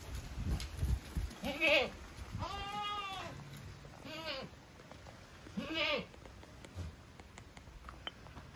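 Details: Savanna goat in Brazil bleating four times, each call a wavering, nasal, harmonic-rich bleat rising and falling in pitch, spaced one to two seconds apart, with some low rumbling background noise.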